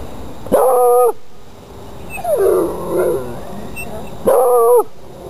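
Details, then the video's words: A hound gives two short howling bays with steady harmonic bands, around half a second and again near four seconds, with a rougher, lower whining cry between them. "Hound sounds"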